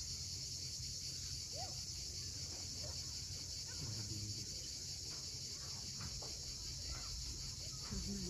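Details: Cicadas singing at sunset above the sea at Cape Fiolent, Crimea: an even, piercing electric buzz without gaps, mixed with rolling waves and occasional short chirps and twitters from various birds.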